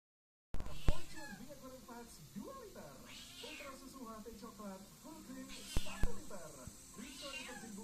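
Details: Domestic cat out looking for prey, giving a few drawn-out, wavering meows with rising and falling pitch, mixed with nearby human speech and a couple of sharp knocks.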